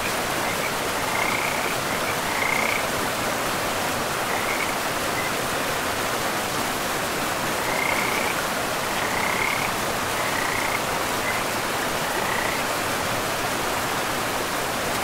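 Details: Forest river with frogs: scattered short, grating croaks arrive every second or two in small clusters over a constant roar of running water.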